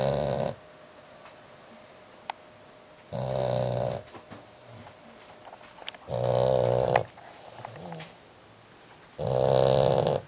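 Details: Noisy snoring from a sleeping dog: four coarse, buzzing snores at a steady rhythm of about three seconds, each close to a second long, with quiet indoor air and small clicks between them.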